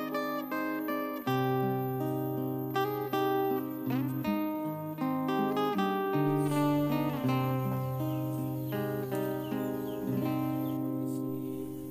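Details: Steady acoustic guitar music with plucked and strummed notes, no animal calls heard.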